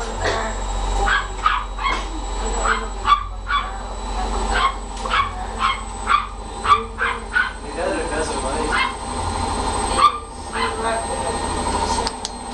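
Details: Scottish Terriers at a Montevideo, Uruguay kennel around food, producing quick runs of short yapping barks that pause and restart, over human voices, low rumbling and a thin high tone.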